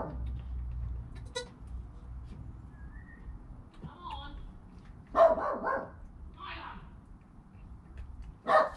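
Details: Newborn goat kid Joel, within his first hour of life beside his calm mother Penny: a few short, nasal, harmonic bleats, two close together midway and one near the end, over low rustling and handling noise.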